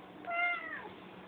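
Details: Pet cat named Lumen making its strange "Rrrrr?" noise indoors: one short harmonic voiced call lasting about half a second, steady at first and then sliding downward at the end, over a faint constant low hum.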